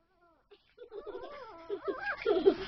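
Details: Miniature Pinscher puppy, nine weeks old, male, indoors, protesting as its harness is taken off over its head: wavering, whiny cries rising and falling in pitch, growing louder and rougher toward the end, after a soft opening whimper.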